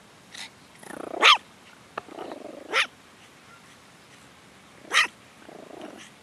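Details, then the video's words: Long-haired toy Chihuahua named Eve guarding as a pet: short, high-pitched barks, each preceded by a soft growly rumble, roughly three bursts over a few seconds in a quiet room. "Guard Dog On Duty"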